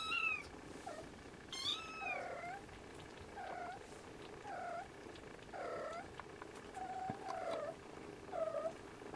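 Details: Siamese kittens settling for a nap with their mother Siamese cat, later nursing; a couple of high meows early, then a steady series of short, soft, low mews repeated roughly every second over quiet room noise.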